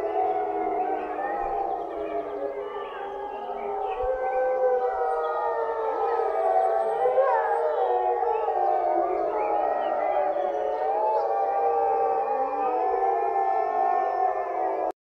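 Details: Several captive gray wolves at Olomouc Zoo, Czech Republic, howl together, long sliding tones overlapping in a continuous rising and falling chorus.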